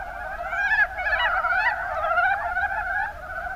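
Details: In Kumamoto's Kuma Basin, Japan, mountain brown frogs (Rana ornativentris) keep up a thick chorus of overlapping croaks. A few louder, sharper calls break through near the start and around the middle before it eases slightly at the end.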